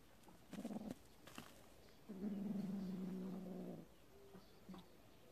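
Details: Warehouse cat family, kitten playing with a mole the mother cat hunted; a brief low growl followed by a sustained, steady, deep growling call lasting nearly two seconds, with soft knocks and rustles around it.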